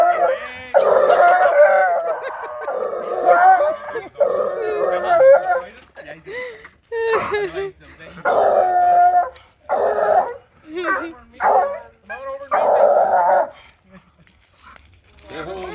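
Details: A super excited female Bluetick Coonhound bays repeatedly as she greets another dog. Bursts of loud, quavering bays come every second or two, mixed with yelps. A woman talks in between.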